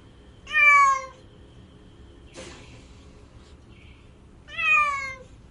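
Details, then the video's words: House cat producing two short, bright meows about four seconds apart, each sliding slightly downward, with a soft thump or knock between them. "CAT MEOWING AND PURRING"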